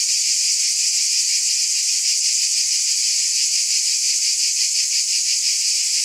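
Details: Cicada chorus droning without a break, a sharp sizzling tone that barely changes in volume, lightly rippling with rapid beats.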